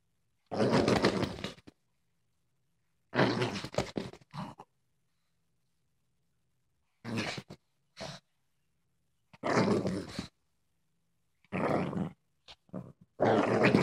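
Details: Female Boston Terrier Heidi, acting tough, gives rough, breathy grunting growls in short bursts separated by pauses.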